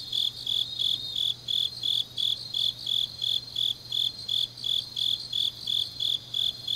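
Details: Autumn night insect chorus from Changnyeong, South Korea, where grass insects sing late into the night; evenly spaced high chirps pulse roughly three per second over a soft layered trill, a quiet low electrical-like hum in the background.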